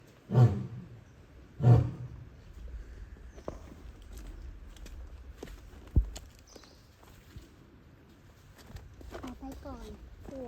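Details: A zoo lion, heard roaring for the first time by a visitor who says it usually just sleeps, lets out two deep, heavy grunting roars about a second apart; possibly calling for a mate. Soft rustling, murmured voices and faint chirps follow.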